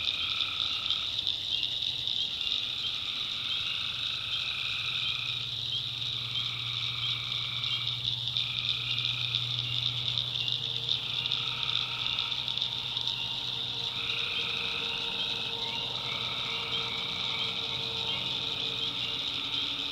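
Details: North Carolina backwoods swamp at night with tree frogs in full chorus: an unbroken high trill, repeated lower droning calls of one to two seconds from several frogs, and a faint low hum underneath.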